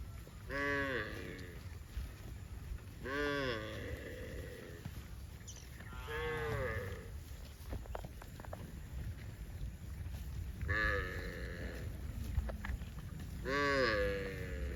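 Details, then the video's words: Cattle heading to a rural field moo repeatedly, five long harmonic bellows, some rising then falling, spaced a few seconds apart, over steady low rumbling and a constant high hiss. "COWS MOOING - Funny mooing cattle video heading to a rural field"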